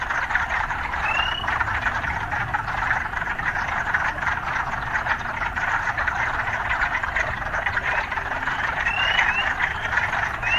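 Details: Urban frog sounds: a steady, dense croaking chorus with only a handful of brief rising chirps, one early and a few near the end, and a faint low background rumble.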